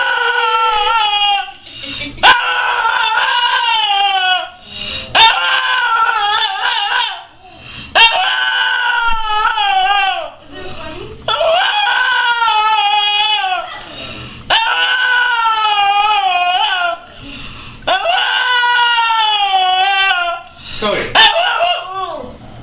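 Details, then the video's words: Puppy making funny noises: long, loud, harmonic whining cries, wavering and sliding up and down in pitch, repeated in drawn-out bouts with short breaths and sharp clicks between them. "Cute Puppy that makes funny noises"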